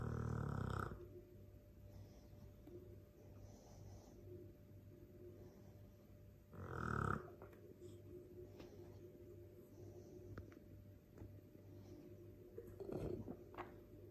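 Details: A Dogue de Bordeaux, a mastiff, asleep and snoring. Short harsh snorts burst out at the start, around seven seconds and near the end, with softer low breathing rumbles in between.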